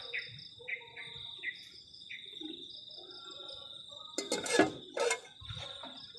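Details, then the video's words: Crickets on a cold night at a garden shelter camp on a forest edge: a steady high shrill trill runs throughout, with short descending chirps in the first two seconds and loud clattering bursts of camp noise near the end. "ENJOYING THE SOUND OF CRICKETS ON A COLD NIGHT"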